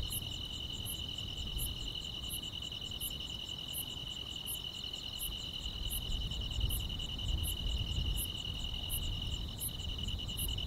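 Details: On a summer night, grass insects keep up an unbroken piercing trill, punctuated by regular bright chirps roughly every two-thirds of a second; a gentle low rumble sits underneath.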